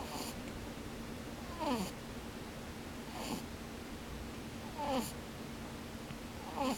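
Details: A rabbit asleep though its eyes stay open snores in a slow rhythm: four breathy puffs, each carrying a thin squeak that slides downward, spaced roughly every one and a half to two seconds against low steady hum.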